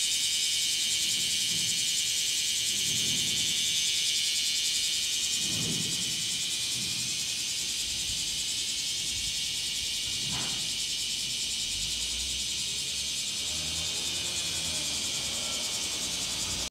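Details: Bear cicadas in a garden in summer fill the air with a loud, steady, high-pitched buzzing chorus that never pauses.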